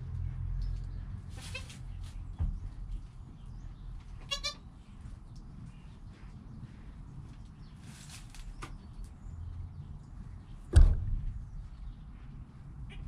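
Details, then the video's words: Newborn goat kid named Joel, within an hour of his birth beside his calm mother Penny, filmed on a GoPro: one short, clear, harmonic-rich bleat midway, a few fainter brief cries, low rumbling background and a sharp thump near the end. "Baby Goat - One Hour Sound and Video"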